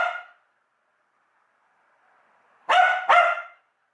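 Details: House dog agitated by the USB plug/unplug sound: the tail of one bark, a quiet stretch with a faint murmur, then two sharp, bright barks in quick succession.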